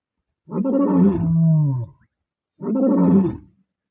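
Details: The Bila Shaka Boys lions roar twice, not far from R5; each roar is deep and rumbling, rising then sagging low.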